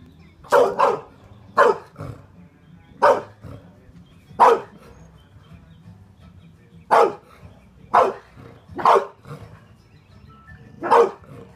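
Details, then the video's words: American Bulldog barking: deep, forceful single barks repeated every one to two seconds, with a few coming as quick doubles, over a faint background hum. "American bulldog barking"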